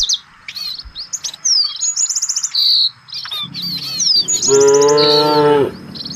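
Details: A single long, resonant moo rises from village cattle out looking for fresh grass as a herd, late in the clip. Quick bird chirps and trills fill the background throughout.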